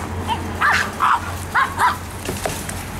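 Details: Home-raised Pekingese in Akron, Ohio, waiting for treats: four quick high yips in two pairs, then fainter squeaks, over a constant low household hum.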